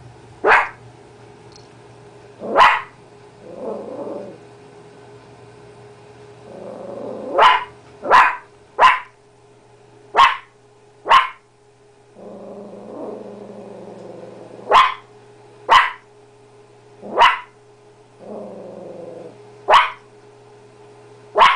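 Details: Blue heeler–chihuahua mix dog barking at her own reflection: a long series of short, sharp barks, often in quick pairs, with softer grumbling growls in between, over a steady low hum.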